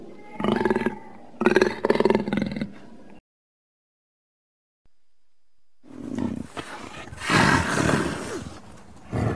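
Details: Jaguar, shown as the real-life counterpart of the Zootopia character Boi Chá, gives two rough, throaty roaring bursts, then a gap of silence, then louder, noisier growling roars that swell and fade near the end.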